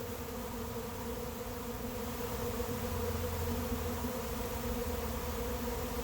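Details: Honey bee swarm entering an empty hive late in the season: a dense, continuous buzzing drone with stacked humming tones and a slightly throbbing low rumble throughout.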